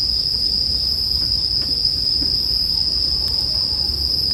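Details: Bell cricket song as a sustained, even high-pitched ring, accompanied by faint scattered crackles of a campfire and soft low background noise.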